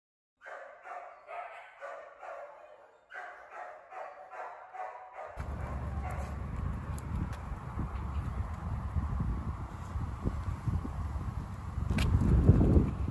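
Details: Young female Retriever puppy, very active and playful, barking in a quick regular series of about twelve short, bright barks over five seconds, split into two bursts, followed by loud low rumbling noise with no further barks.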